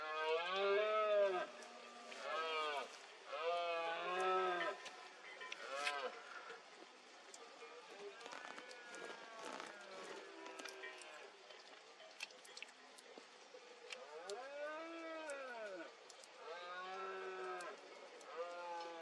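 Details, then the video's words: Rutting red deer stag in Cantabria, Spain, in the 2022 berrea, calling through fog: a series of deep, groaning roars, several arching up and down, repeated at irregular intervals of a few seconds, with breaks of quieter background. "BERREA 2022 EN CANTABRIA: VENADO ENTRE LAS NIEBLAS."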